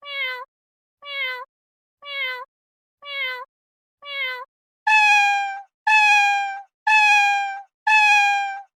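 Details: Domestic cat meowing about once a second: five short meows that rise and then drop sharply, followed by four longer, louder, steady meows rich in harmonics. No other sounds.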